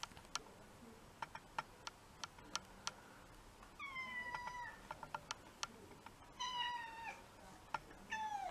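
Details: Domestic cat in a multi-cat household giving three drawn-out meows that slide downward in pitch, the last two close together, over quiet background with sharp, irregular clicking ticks.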